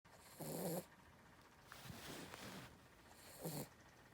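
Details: Sleeping dog snoring: three soft, breathy rasping bursts, each under a second, separated by quiet pauses, low and hushed.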